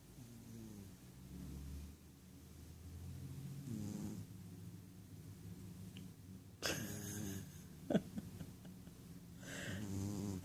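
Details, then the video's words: Ragdoll cat Rohan, a male pet sleeping deeply indoors, snores in low, buzzy breaths, each lasting about a second. Handling noise and rustling break in near the end. "Rohan Snoring"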